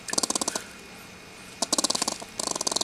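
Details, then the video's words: Stressed squirrel held before release back into the trees, giving rapid pulsed chattering bursts, about ten to twelve clicks each, in three runs separated by short pauses. "Irate Squirrel"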